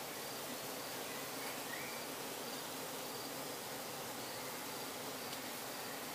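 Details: Bees kept in trucks in Croatia, recorded up close near nightfall while the owner extracts honey; a dense, steady buzzing drone fills the whole stretch without pause, like a swarm humming around the hives.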